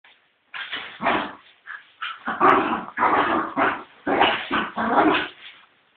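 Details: Fox Terrier fighting with its cat, giving a run of rough, noisy barks and growly bursts in quick succession after a half-second pause, about eight loud bursts over six seconds with brief gaps between them.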